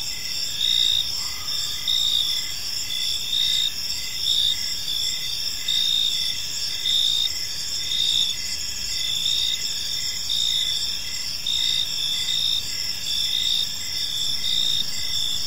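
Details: Crickets chirping in a park on a peaceful evening; steady high-pitched trilling in several layered bands, continuous pulsing chorus with no pauses, a soft low hum beneath.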